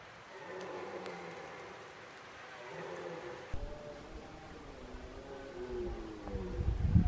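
A red deer stag gives deep, drawn-out rutting roars, ending in rough low rumbling.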